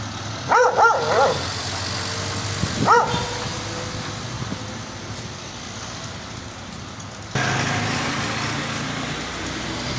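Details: A very angry dog lets out a fast pair of barks, then one more two seconds later, before a steady background roar, like passing traffic, takes over.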